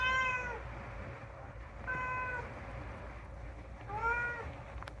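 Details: Unagi-kun, a rescued talking pet cat, meowing indoors: three clear harmonic meows, each about half a second long and spaced roughly two seconds apart, against a low steady hum.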